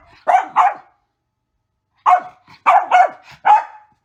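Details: A female Mini Goldendoodle with the zoomies gives short, sharp, sassy barks in two quick bursts.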